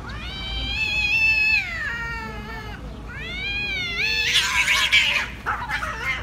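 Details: Fighting angry cats: drawn-out tense yowling in two long wails, then an abrupt harsh, noisy burst like a hiss or spit near the end.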